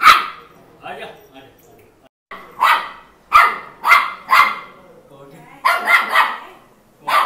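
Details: A Maltese puppy barks in a run of sharp, high-pitched yaps, some single and some in quick pairs.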